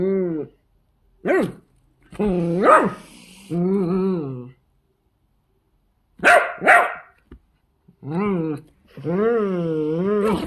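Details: Miniature dachshunds, pet dogs, giving short yelping barks mixed with drawn-out, wavering howl-like cries that rise and fall in pitch, in bursts separated by brief silences.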